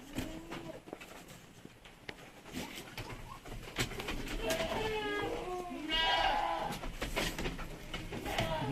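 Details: Anglo-Nubian goats, purebred, around the births of two does: a run of quavering bleats growing louder and higher, several overlapping cries near the end, over low rustling and faint knocks.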